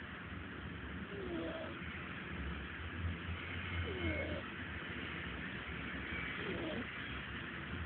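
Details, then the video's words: Sleeping cat named Taylor snores, each breath carrying a thin, downward-sliding whistle, about three breaths in the span, against a low droning hum. "Taylor the snoring cat"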